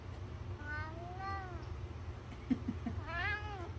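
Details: Talking cat giving soft, drawn-out meows that rise then fall, three main calls spread over a few seconds, over steady low hum and faint background noise.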